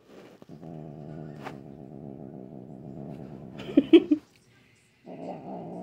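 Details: Normally calm pet cat, a female in a grumpy mood at night, holds a long throbbing growl, breaks into a brief harsh yowl and hiss, then resumes growling.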